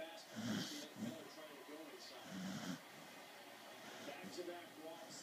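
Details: A sleeping corgi snores in low, rasping breaths about every second or two, with a baseball broadcast talking faintly in the background.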